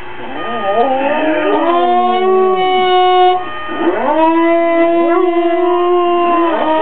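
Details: Pet dog, female, howls in protest at an alarm clock: wavering, sliding notes building into a loud sustained howl, a brief break near three seconds, then a long steady cry.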